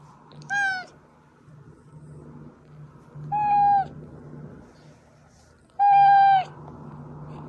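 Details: Domestic cat named Oz, one of three pet cats with Meonji and Dubu, meowing; a recording used to call hiding cats out. Three clear harmonic meows, each about half a second, spaced roughly every two to three seconds over a steady low hum.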